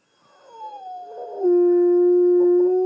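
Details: Myles, a pet dog indoors, howling while lying on a couch as an earlier recording of his howl plays back; a faint wavering onset slides down, then a loud steady held tone.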